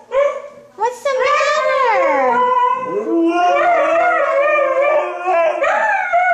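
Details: Two Siberian Huskies howl together in long, wavering, sliding tones that overlap into a chorus. They rarely bark and howl instead.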